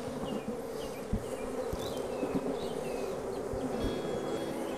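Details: Honey bees at hives during artificial rearing of queen bees; a steady low droning hum runs through the whole stretch, with faint scattered clicks and soft thuds.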